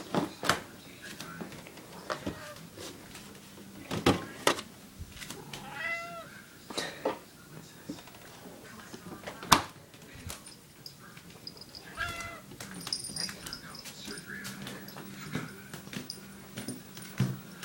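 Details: Female domestic cat asking for eggnog, with her own very specific way of trying to get it: several short, bending meows, clearest around six and twelve seconds, among sharp clicks and taps and a faint steady hum.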